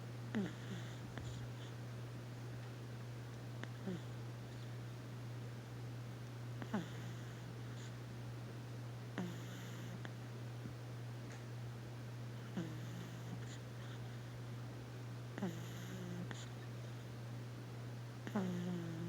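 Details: Stormy, a pug puppy, asleep indoors, snoring with short, low, whistling, nasal snores that rise at the end. The snores come about every three seconds, about seven in all, over a steady low electrical hum.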